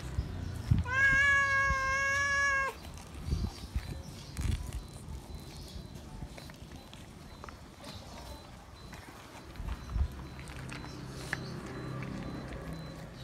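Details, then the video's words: A feral cat that still recognises a familiar person calls loudly for attention and love. One long, level, harmonic meow of about two seconds opens the clip, followed by quiet outdoor background with faint rustles and clicks. "Feral Cat Still Remembers Me, Meowing Loud For Attention And Love - Cats Meowing"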